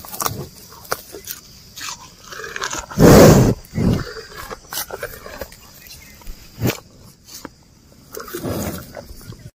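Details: Grazing cows and bullocks eating grass while walking: scattered sharp ripping and chewing noises, one loud rough breathy burst, then quieter munching over a constant high-pitched insect hum.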